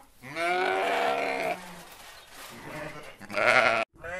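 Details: Sheep bleating: two drawn-out, wavering bleats, the first about a second and a half long, the second shorter and higher-toned, separated by quieter low bleating and faint background murmur.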